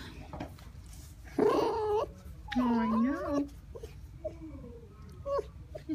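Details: Red fox described as pouting, indoors with a person who talks and kisses it: two loud, wavering, harmonic whines, the second sliding upward and held almost a second, then softer short squeaks, with the person's voice in between.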